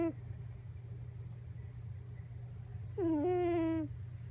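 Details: Sleeping Miniature Pinscher puppy Coco, nose pressed while napping face-down on a lap after rough play, December 8: a brief squeak at the start, a quiet gap, then one strong nasal whine that jumps up and slides down, with steady low hum throughout.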